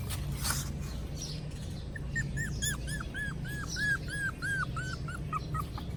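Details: A hungry puppy whines in a fast series of about a dozen short, high, arched squeaks, each rising then falling, over a steady low hum.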